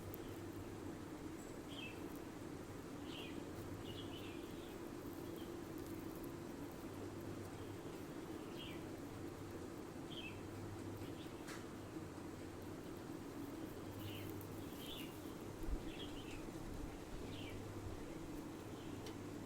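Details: Indian palm squirrel, also called chipmunk, Indian stripe back squirrel or Gunduchi Musa, playing on a window air conditioner in a backyard, filmed on a phone; short high chirps at scattered intervals over a steady low mechanical hum.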